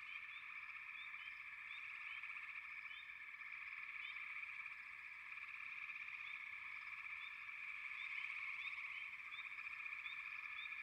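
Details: Many frogs calling together in a continuous, buzzing wall of sound. Quick rising chirps stand out above the drone at an uneven, rapid pace, a few each second.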